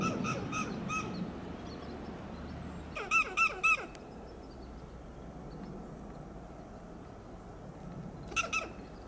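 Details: Western gray squirrel on a coast live oak in Del Monte Forest, California, calling in alarm; short clusters of three harsh clucks separated by long pauses, with background hiss and faint distant bird notes.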